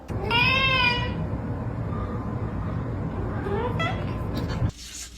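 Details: Domestic cat in a funny compilation giving a loud, drawn-out meow that rises then falls over about a second, followed by people talking and a second, shorter meow near the end.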